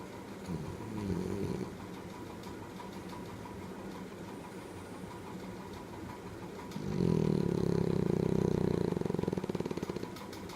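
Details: Sleeping French Bulldog Ale snoring: a soft breath near one second, a long low hum, then a long, loud, buzzing snore from about 7 to 9.5 seconds, rough and vibrating.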